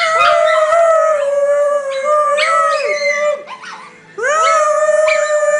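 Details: Group of pet dogs howling together as a family chorus; layered sustained wails with wavering pitch and dipping slides, a brief quieter gap near the end, then a rising swoop back into loud howling.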